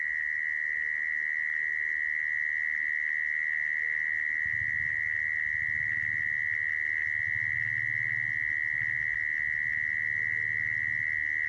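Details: Mole cricket call used as a lure for trapping crickets: a steady, unbroken high buzzing trill holding one pitch throughout, with a faint low rumble in the middle section.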